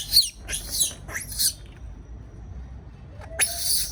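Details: Lone caged baby monkey, fearful: three quick harsh squeals in close succession, a pause with only faint hum, then one more loud screech.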